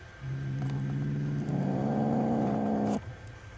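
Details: Low, steady growling from angry two-month-old kittens as the person who feeds them approaches, with the mother cat present. The rumble thickens and grows louder halfway through, then stops abruptly.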